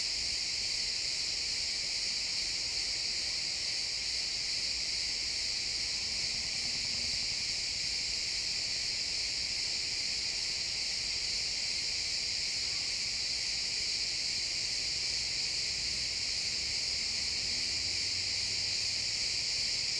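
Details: Crickets in a pine forest at sunset keep up a continuous bright, high-pitched trilling chorus from many insects, unchanging over the whole stretch, with faint low rumbles beneath; real-time XY stereo recording.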